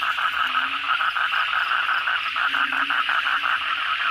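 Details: Brief stretch of a nighttime bangkong toad chorus following heavy rain, loud overlapping croaks pulsing quickly over a low steady hum.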